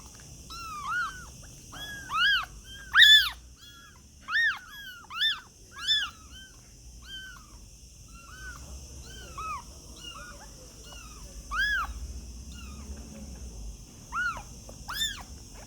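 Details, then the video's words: Kittens mewing in a busy series of short, high, arched cries, several overlapping, some louder and sharper, with quieter pauses between bursts and a steady faint background hiss. "cute and funny kittens sound | cat voice"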